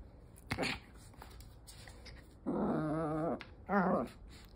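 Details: Pomeranian–Chihuahua cross dog in Osaka, Japan, acting as a toy thief: a brief sharp note, then a low, rough, steady growl lasting about a second, followed by a shorter growl, in a quiet indoor setting.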